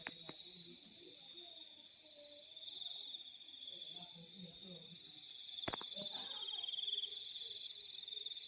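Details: Crickets in fields at night chirping in rapid, evenly spaced pulses over a steady high drone, with faint low voices or rustling and a sharp click partway through.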